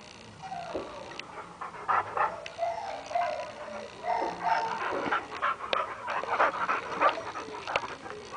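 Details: A Boxer playing with a Great Dane it loves; high whiny whimpers and yelps come in quick irregular bursts over scuffling, with a faint musical background.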